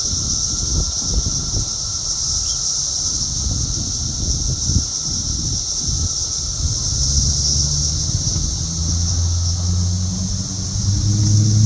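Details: Loud, active cicadas in Chicago's south suburbs, Illinois, June 3, 2024, making a continuous high-pitched shimmering drone while flying about, with heavy low wind rumble and a passing vehicle hum beneath.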